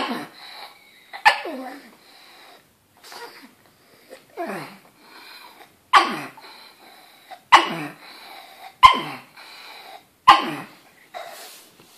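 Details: Pug barking at a banana in a series of short, sharp barks, each opening with a hard crack and sliding down in pitch, repeated roughly every second or two with short silent pauses.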